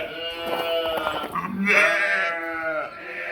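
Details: Sheep and lambs bleating: one long, wavering, nasal bleat rising in the middle and falling away, with a lower voice briefly underneath.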